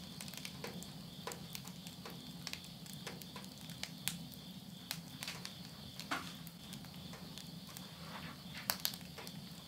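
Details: Late-summer night insects near a home in Yurihama, Tottori, Japan, at midnight in September 2020, keep up a constant shrill hum of high trills, while burning wood in a stove snaps and crackles in irregular bursts.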